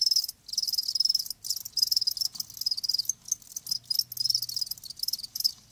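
Crickets chirp in rapid, high-pitched pulsing bursts, with several insects trilling together almost continuously.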